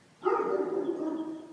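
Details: Dog shut in a garage, barking through the garage door toward a fire house basement in response to being called by name; one drawn-out, whining, howl-like bark lasting over a second, with a person calling.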